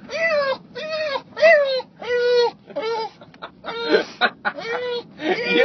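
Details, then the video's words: English Bulldog screaming with excitement on the way to visit its grandpa (Opa): a run of loud, harmonic, whining yelps about every half second, some bending up and down, with a person's voice in the car. "Screaming Bulldog LOVES Opa (Grandpa)"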